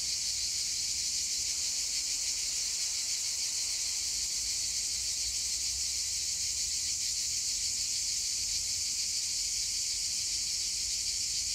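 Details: Hillside chorus of cicadas, their song spreading over the landscape, heard as an unbroken shrill, hissing drone that stays steady and unvarying in strength from start to end.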